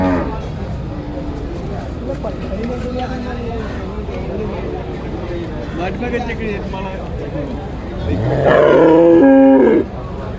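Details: Water buffalo calf in a crowded market during a sale; after several seconds of chatter, a loud, harmonic-rich low bellow swells for over a second, with people talking all around.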